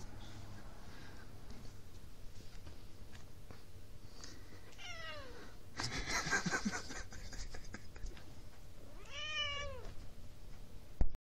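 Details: Maci the house cat lets out two drawn-out harmonic meows, the first falling, the second rising and dropping in an arch, separated by a burst of rustling noise, ending with a sharp knock.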